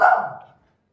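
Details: German Spitz indoors, one sharp yappy bark at the very start that fades quickly into silence.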